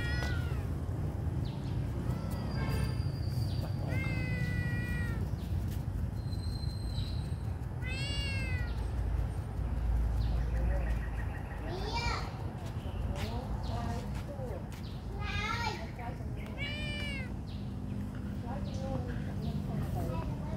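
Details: Small kitten crying from hunger, giving a run of about a dozen high, arched mews with strong harmonics, some rising then falling, spaced a second or two apart, against a steady low-pitched rumble.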